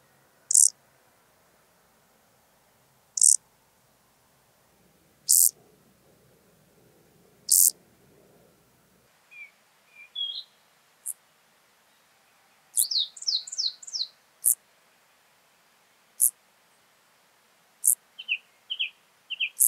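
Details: Field grasshopper (Chorthippus brunneus) in Hanfeld, Germany, on 19 September 2021: brief dry high-pitched chirps repeated roughly every two to three seconds, later mixed with scattered thin bird chirps.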